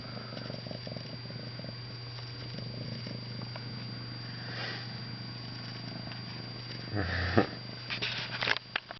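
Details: Ragdoll kitten purring: a steady, low, finely pulsed rumble runs for about six seconds, then gives way to soft rustling and brief handling knocks near the end, over a faint constant electrical hum.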